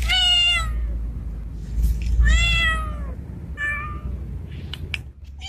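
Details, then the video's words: In heat, a male street cat that looks like a Bengal calls to a female with three strained, falling meows, the first two loud and long, followed by faint clicks. "Male Cat In Heat Sounds | Male Cat Calling Female | Male cat mating call sound effect|Male Cat Voice"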